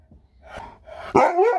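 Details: Sherpa, an Alaskan Malamute, indoors at home: a short rough bark, then a loud wavering, yodel-like vocal that rises and falls for about half a second.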